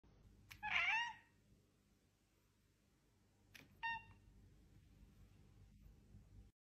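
A British Shorthair cat gives two short, clear meows a few seconds apart.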